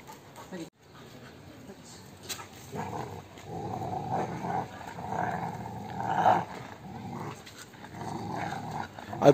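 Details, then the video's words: Rottweiler growling during rope tug-of-war play, a sustained low rumbling growl building from about three seconds and swelling louder toward the end, with a person's voice calling to the dog in Arabic. "Rottweiler Roaring Sound # Rope Fight with Rottweiler"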